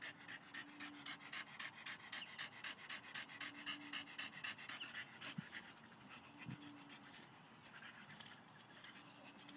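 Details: Staffordshire Bull Terrier pet dog ripping a tree root out of the ground, breathing in fast, steady panting at roughly four breaths a second, with faint scraping and a low steady hum behind it.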